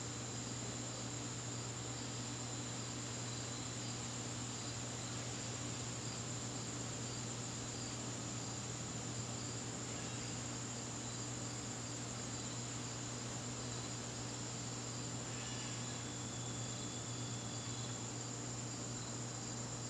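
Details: September evening in a garden, crickets producing a constant high, thin trill that never breaks, with a faint low mechanical hum and a brief extra whistle-like tone near the end.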